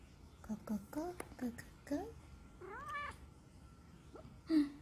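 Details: Neutered female odd-eyed Munchkin short-leg cat calling her owner to play indoors: a rapid series of short chirping meows, several quick bright rising-falling notes and a longer arched meow, with a faint steady hum behind.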